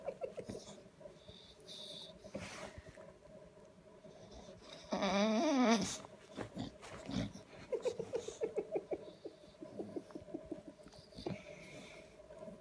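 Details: Bulldog sulking to get attention on a Saturday morning at 7:30: snorty wheezing breaths, a loud rising-falling whine near the middle, then a run of rapid grumbling pulses.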